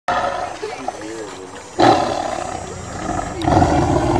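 A tiger gives loud, rough roars in two heavy bursts, with a faint voice early on.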